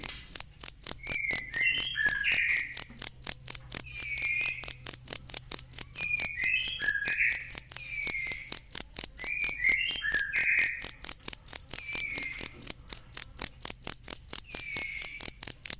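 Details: Real cricket sound meant for songbird training: an unbroken train of high, piercing chirps at an even pace, with quiet bursts of bird warbling returning every couple of seconds underneath.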